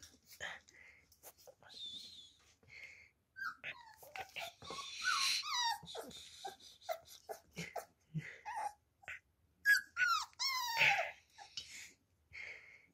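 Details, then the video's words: Beagle puppies taking their first steps, giving a run of short high whimpers and squeaky yelps, some rising then falling sharply, with breathy snuffles between calls and brief quiet gaps. "Beagle Puppies Taking There First Steps and Barking"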